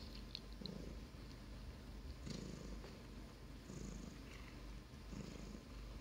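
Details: Russian blue cat, a grey pet cat indoors, purring steadily in low rumbling pulses, each breath cycle roughly every one to one and a half seconds, with faint clicks and light household noise.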